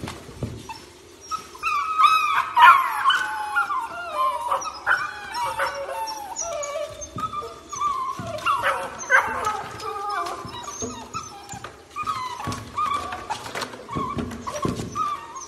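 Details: Beagle puppies whining and whimpering in a series of high, wavering cries, with short yelps and a few drawn-out howl notes breaking through, while human voices murmur in the background.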